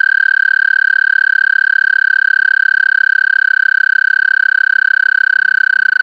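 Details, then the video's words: American toad recorded with an amplified mono parabolic microphone feeding a DSLR camera: one long, steady, high musical trill of rapid even pulses that holds the same pitch for over six seconds, with no other sounds. "Songs of the American Toad"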